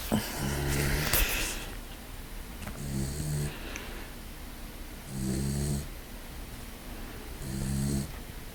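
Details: A sleeping brindle English Mastiff puppy snores indoors: deep, rumbling snores in regular bursts about every two to two and a half seconds, four clear snores in all, with a brief rustle near the start.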